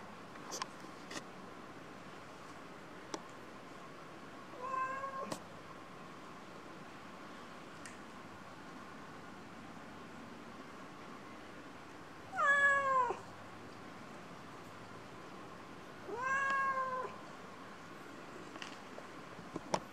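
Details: Pair of kittens meowing indoors: three short, bent meows, one faint then two louder, separated by long quiet gaps with a steady faint background hum and occasional clicks.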